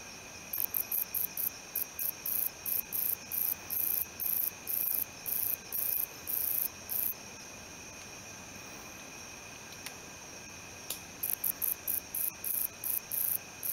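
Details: ['Stridulating male wingless meadow katydid, Odontoxiphidium apterum: long runs of sharp, extremely high buzzy pulses, roughly three per second, broken by a pause near the middle before the rhythmic series resumes.']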